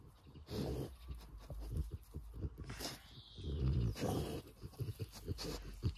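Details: Rottweiler, very happy to finally be out for a walk: rapid, breathy, low panting and snuffling bursts throughout, growing heavier in the second half, with faint rustling in the background.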